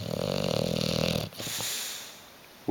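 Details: Sleeping pet bulldog Hugo on the sofa, unwilling to wake: a steady rattling snore of over a second, then a softer breath out, in a quiet indoor room while someone calls his name.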